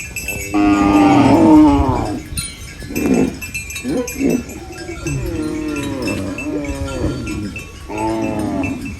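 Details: Mooing from cows eating banana leaves on a farm: one loud, sustained low call opens, followed by shorter wavering lows and a final moo, over steady background noise.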